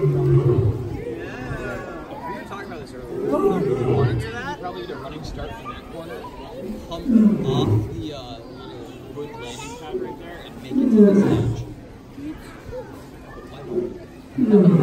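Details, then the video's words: At the Los Angeles Zoo on New Year's Day 2019, Hubert the male lion gives a series of short, low, falling grunting roars every three to four seconds beneath steady visitor chatter and speech. "ライオンフバートの元旦咆哮 Lion Hubert Roars in New Year's day 2019"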